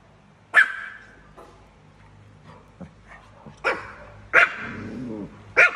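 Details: Chihuahua barking at a cat: four sharp, high yapping barks spaced irregularly over several seconds, with quiet gaps between them and faint background room noise.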